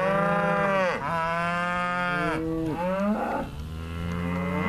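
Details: Bonsmara cattle, bulls with cows four to five years old; loud, long drawn-out moos with rich overtones, one after another, each sliding down in pitch at its end, about five seconds of continuous bellowing.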